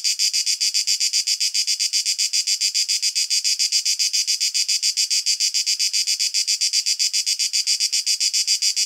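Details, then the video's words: Male cicada song recorded in nature through a shotgun condenser microphone: a rattling, high buzz of rapid pulses, about seven each second, steady and loud from start to finish, with a quiet background. "Cicada sound effect - Canto della Cicala - Suono Cicale - Verso - Cicadas Song"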